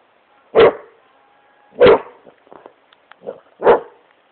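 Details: Great Pyrenees Smokey plays on his couch in his room, letting out three booming barks spaced about a second apart, with light clicks and scuffling between them.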